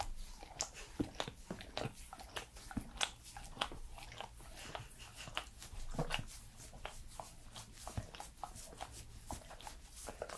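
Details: Close-up mouth sounds from Edmundo, a lively three-year-old Pembroke Welsh Corgi, indoors: a dense run of wet smacking clicks and licks, some crunching, in rapid uneven succession over a faint low hum.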